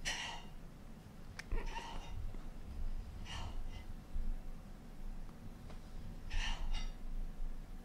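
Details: A cream British Shorthair kitten gives brief, chirping bursts of hunting chatter over a low background rumble.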